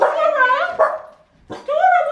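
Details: Overjoyed dogs greet the owner's sister, their 'Auntie', after three years in Thailand; two long, bending, high-pitched whines with a yelping onset, separated by a brief pause.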